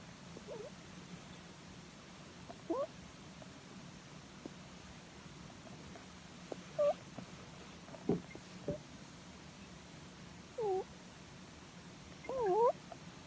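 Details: Pet rabbit indoors, sleeping comfortably while its head is stroked, giving soft 'puu puu' sounds: several short, thin, squeaky rising and falling tones scattered across the recording, with quiet gaps between them.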